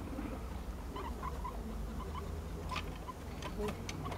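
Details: Five guinea pigs playing a chasing game indoors; brief clipped chirps repeat in small clusters over a low steady hum and light scuffling of feet.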